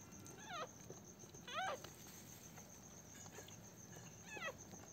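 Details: Newborn Pomeranian puppies on their first day after a home delivery: three thin, high squeaky whimpers, each sliding downward with bright overtones, spaced unevenly over five seconds against soft rustling and shuffling.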